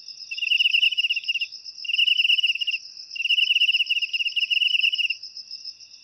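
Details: Cricket call said to chase away rats indoors: three pulsed chirping bursts, each roughly a second long, with a steady high whine running underneath throughout.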